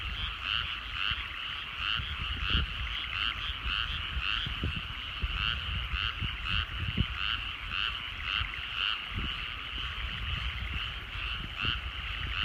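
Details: Frogs calling in rice fields in the countryside at sunset, a dense chorus of rapid pulsed croaks layered into steady throbbing waves, with soft low rumble underneath.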